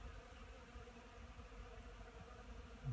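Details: Honey bees foraging on pollen at an apiary on 10 March 2015. A low, steady buzzing hum runs continuously with a faint tonal band in the middle register. The background is quiet, with a brief louder knock at the very end.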